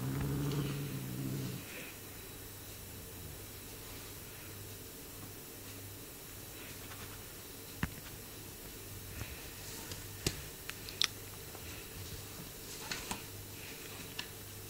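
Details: A Bengal cat gives a low, rumbling growl, strongest at the start, with a few soft clicks, while chewing on its owner's hand.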